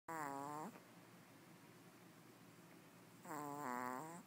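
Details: Chanel, a sleeping Pomeranian curled up with two other small dogs, gives two loud nasal snores with whistling harmonics. Each lasts under a second, and there is a quiet indoor pause between them.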